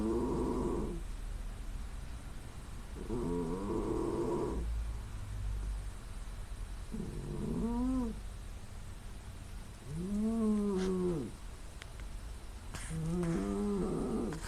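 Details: Sleeping female domestic cat snoring loudly with nasal sounds, likened to an old man's snore, recorded on a smartphone in quiet surroundings; rough breathy bursts with low, arching nasal tones about every three seconds, five breaths in all.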